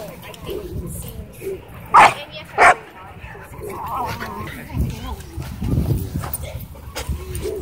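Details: Miniature Pinscher warning off another dog that is harassing it: two sharp, loud barks about half a second apart, with quiet human talking and rustling around them.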